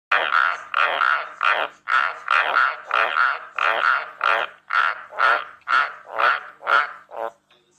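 A White's tree frog gives a long run of harsh, throaty croaks, about two each second.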